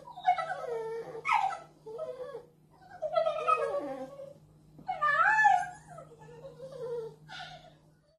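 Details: Whimpering 10-week-old American bulldog puppy at home in Merseyside: a string of high, wavering cries and yelps that bend up and down, each about a second long, separated by short gaps, with a faint steady hum behind.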